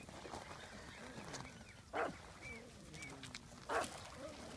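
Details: Pug barking at a rock, giving two loud, sharp barks about two seconds apart, with quieter murmuring sounds and background noise in between.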